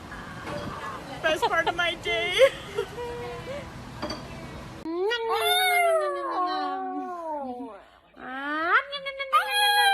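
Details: Pet dog, shown in a funny compilation, with human voices at first, then long, falling, moaning howls rich in overtones that break off and start again.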